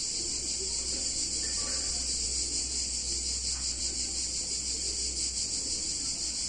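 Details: Cicadas in full chorus on a hot summer day in an Italian town: an intense, continuous high-pitched rasping whir with a slight rapid pulsing, and a low steady hum in the background.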